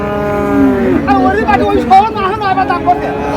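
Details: Friesian or crossbred bull calf at the Raniganj cattle market in Dinajpur, Bangladesh, 24 April 2025, gives a steady low moo lasting about a second, followed by men bargaining over prices in Bengali amid market bustle.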